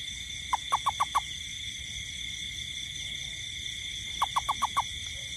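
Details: Night-time toad in a rainy garden gives two rapid series of about five clipped, mid-pitched notes, the bursts roughly three seconds apart, with a steady shrill insect drone running throughout.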